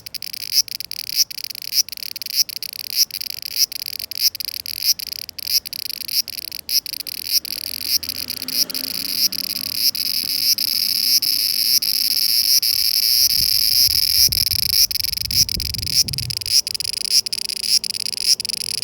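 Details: Cicadas in full summer song, 2020: a shrill high buzz with regular accented pulses, the drone thickening and steadying midway, and a low rustling thump near the end.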